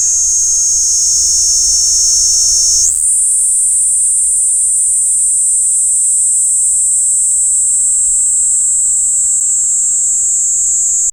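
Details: Kaempfer cicada recorded with a parabolic microphone: a loud, unbroken high-pitched buzzing drone that strengthens and steadies after about three seconds, then holds constant to the end with no other clear sounds.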